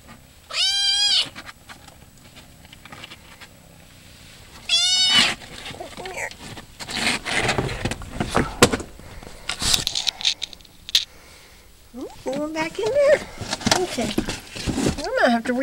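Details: Domestic cat Maud'dib gives two short, quavering meows about four seconds apart, followed by loud rustling and handling noises and a person talking.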